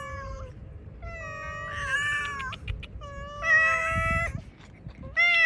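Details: Cats eat cut fish outside while hungry, giving a string of drawn-out, steady-pitched meows, some overlapping, with a few falling at the end, against a low rumble of background noise.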